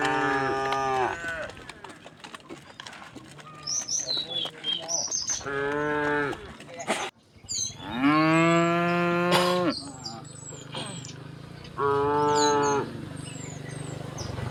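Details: Calm tame cows, several overlapping, give long, low, rich moos while being herded across a wooden bridge to green fields in the countryside, with faint bird chirps in the background.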